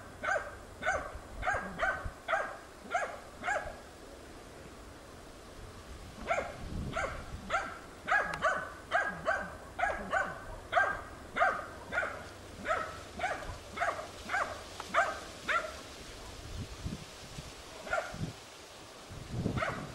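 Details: Tina, a hunting dog, persistently bays at young wild boar during training on 6 March 2013. Bursts of sharp, repeated barks, roughly two per second, with a short pause before a second long run of barking.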